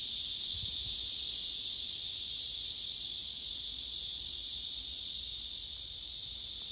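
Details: Singing male cicadas, with a second insect reacting loudly and one male courting a female through silent abdominal movements. A continuous, hissing high-pitched drone holds steady, easing slightly toward the end.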